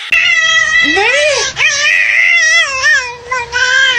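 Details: Domestic cat meowing indoors, a loud drawn-out wavering meow with rising and falling pitch lasting about four seconds, broken by brief pauses, with a short higher cry near the start.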